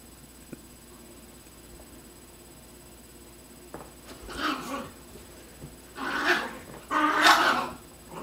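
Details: A Yorkshire Terrier and a Chihuahua fighting. After about four quiet seconds come three harsh, noisy snarling bursts, each louder and longer than the last, near the fourth, sixth and seventh seconds.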